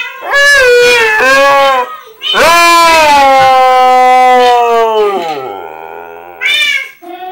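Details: Pet husky howling at Minecraft cats: loud, wavering tonal howls, one held about three seconds and sliding slowly downward, then a quieter lower tone and a short sharp cry near the end.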